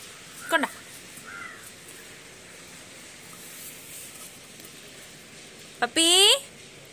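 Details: German Shepherd puppy giving a short yelping whine, then after a quiet stretch a longer, louder whine that slides downward in pitch through bright harmonics; otherwise calm outdoor background.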